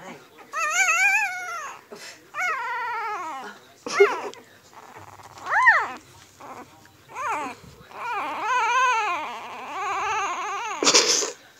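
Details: Newborn Siberian husky puppies from a litter born March 25, 2017, indoors, whine and cry in a series of drawn-out, wavering, arching wails with rich harmonics, some rising then falling, separated by short pauses and soft rustling.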